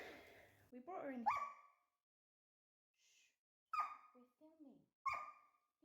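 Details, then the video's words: Nine-month-old female German Shepherd puppy kept indoors, unhappy because she wants to go out to the garden where a man is working; a woman's speech is followed by short, high, rising-falling whines and yelps in irregular bursts. "if there is barking in this video i do apologize this little madam is not very happy"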